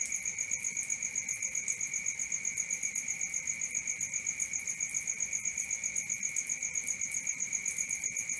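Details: Crickets calling at night: a steady high trill with a fainter, lower continuous buzz beneath, beaded into quick regular pulses about four per second, unbroken throughout, with no other clear sounds.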